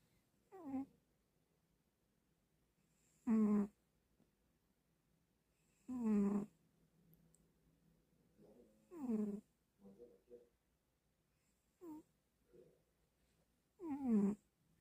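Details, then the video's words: Domestic cat sleeping and snoring in a quiet indoor room: soft, rasping snores come every two to three seconds, each a short harmonic sound gliding downward, with a faint steady hum in the background. "Big cat snore"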